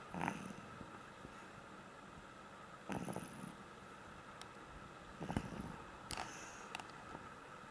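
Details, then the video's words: Duggie, a pug deep in sleep, snoring with rough, rasping bursts roughly every two and a half to three seconds, against a quiet indoor background. "i am duggie hear me snore!!!!!! (sleeping pug)"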